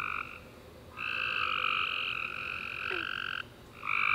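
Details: Tree frogs chirping at night after a rainy summer day: a long sustained buzzy trill of roughly two and a half seconds between shorter bursts, with a short descending note near the end.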